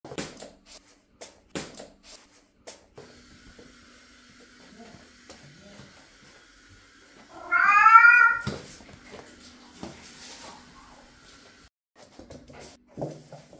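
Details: Marko, an orange tabby cat, gives a single loud meow lasting about a second, with clear stacked harmonics rising then falling, amid quiet indoor clicks and taps and a faint steady hum.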